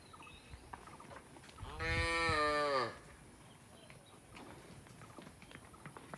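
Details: A single village cow in a quiet rural setting gives one loud, strongly harmonic moo lasting about a second. Faint background hiss is heard before and after.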